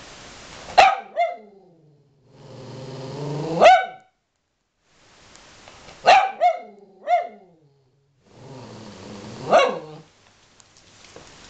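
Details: Aspen, a dog being angry at its owner, lets out sharp barks in small clusters, each followed by a short yip, with low rumbling growls building between the bursts over several seconds.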